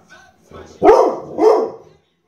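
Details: Dog barking twice in quick succession, two rough mid-pitched barks about half a second apart, after faint snuffling sounds, as part of barking and growling.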